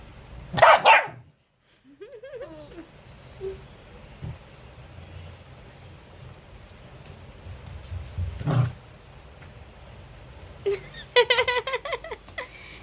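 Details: An angry pet dog gives a loud, harsh bark near the start. A lone sharp bark follows around the middle, then a quick burst of several rapid barks near the end. Low hum in between, with a brief whine-like wavering tone.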